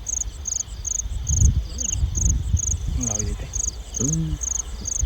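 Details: Field crickets calling at night between 9 and 10 pm in the rice-field countryside while someone hunts them by lamplight. Short, high chirps repeat about twice a second, with brief human voices midway.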